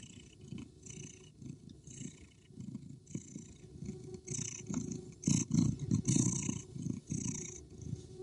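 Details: Sleeping cat purring: a steady low rumble pulsing several times a second, rising and falling with each breath, with soft hissy rustles and a few louder bursts near the end.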